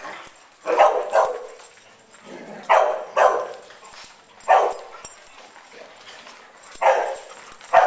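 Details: Playful barking from big dogs romping at Double Dog Day Care, an indoor dog park with an agility tunnel; loud, sharp barks come in pairs and singles every second or two between quieter stretches of room noise.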